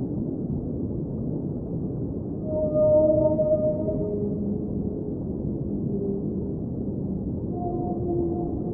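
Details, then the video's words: Whales singing underwater: a swelling, held, mid-pitched moan with a faint higher overtone, followed by softer lower moans and a closing level tone, all over a dense, steady, low underwater hiss and rumble. "Underwater Whale Sounds - Ambient Soundscape | Whale Singing"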